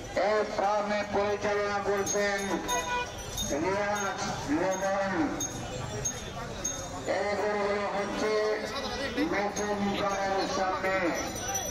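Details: Red Hasha bulls at the Dholaikhal Qurbani cattle market, mooing in long, drawn-out harmonic calls that rise and fall, several in a row over a busy market din with voices in the background.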